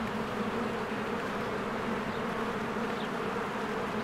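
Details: Busy honeybees swarm at the hive entrance in spring, producing an even, droning buzz of many wings, with a faint high chirp of a bird near the end.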